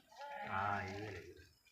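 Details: Sheep grazing on pasture in a forest give a single harmonic bleat lasting under a second, steady and mid-pitched with rich overtones, rising out of a quiet background and ending with a sharp click.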